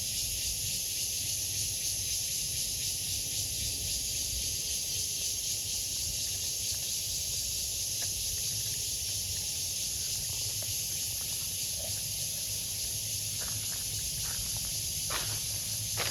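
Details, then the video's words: Cicada singing: a steady, dense, high-pitched hiss that holds unbroken and even in loudness for the whole stretch, with a faint low rumble and a few soft clicks underneath. "Cicada's sound"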